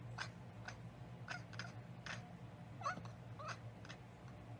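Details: Cat chattering on sighting a bird or insect out of reach, a behaviour tied to prey it cannot get to: short, dry, clicking bursts repeat roughly twice a second in an uneven run, with faint low hum behind.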